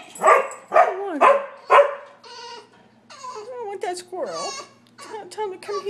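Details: Dogs, a Sheltie, a Collie and a French Bulldog, reacting to a squirrel on a rainy day in March: three quick barks, then high, wavering whines and yelps mixed with a person speaking.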